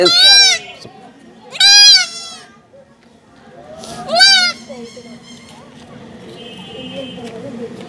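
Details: Young goat crying out during castration. Three sharp, high bleats come in quick succession, each bending down in pitch, then fade into low background murmur and handling sounds.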